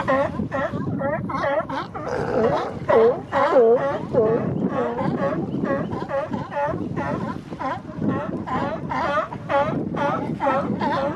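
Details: Male sea lions at the Coast Guard pier in Monterey Bay, Monterey, establishing mating territories in spring. Many overlapping harmonic barks rise and fall in a dense, rapid chorus, roughly one to two per second, over a steady background rush of water and wind.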